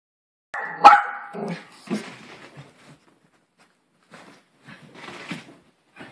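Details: Maltese Poodle gives one sharp, loud bark with a clear tonal ring and a shorter follow-up yap. After that come softer scattered snuffles and rustling noises, separated by brief quiet gaps.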